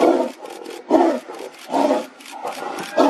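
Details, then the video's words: Tigers fighting: loud rough roars in bursts roughly once a second, each a broad low-to-mid growling blast followed by quieter gaps. "Tigers fighting"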